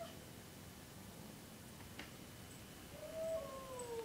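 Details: A Siamese cat gives a drawn-out, falling yowl of displeasure near the end while a 6-month-old lab/shepherd/catahoula puppy pesters it. It is described as an unhappy cat.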